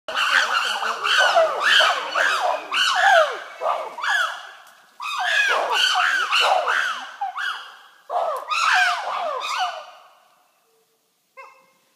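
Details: Wild chimpanzees in Kibale National Park, Uganda, call in a loud, overlapping chorus of rising and falling hoots and shrieks.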